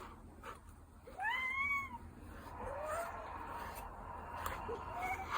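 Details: A gentle, dog-like Ragdoll cat gives one clear arched meow that rises and falls over about a second. Softer, fainter mews follow against a quiet indoor hiss.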